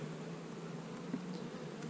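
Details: Honey bees at hives being split, with queen cells in the splits: an even, continuous low droning hum with no other clear sounds.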